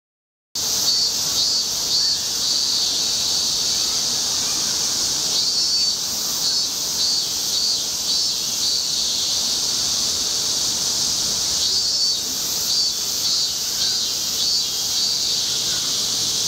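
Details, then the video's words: A robust cicada sings on a tree trunk, a loud, high, shrill drone that carries on without a break; it flew off right after finishing its song. "昆虫_セミ_ミンミンゼミ鳴く"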